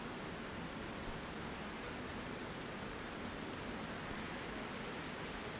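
A steady, high-pitched insect chorus trills without pause through the night air.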